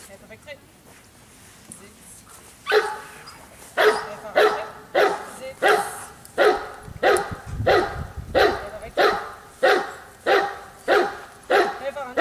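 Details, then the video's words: Giant Schnauzer named Bayuma (Blackmoore Radinie), quiet at first, then a steady run of about fourteen deep, loud barks, each spaced roughly half a second apart. Faint background noise lies beneath. "Blackmoore Giant schnauzer"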